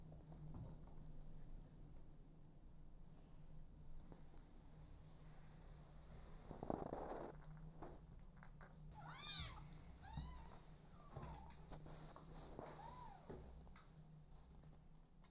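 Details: Motherless kittens living with an adoptive mother cat; a few short high arched meows around the middle, soft and separated by pauses, over a low steady background hum and faint rustling.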